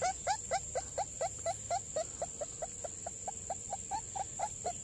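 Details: Puppies from a litter of four born in a garden beside a house, heard while their mother is away looking for food: rapid high whimpering yelps repeated about four times a second, with a steady high electronic whine behind them.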